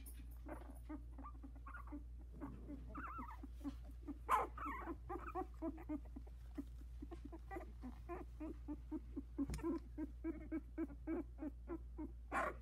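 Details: Havanese puppies from a litter of four, 16 days old, in a whelping box, just starting to walk with eyes barely open; rapid soft squeaks and whimpers repeated throughout, with a few louder rising cries, over a steady low hum.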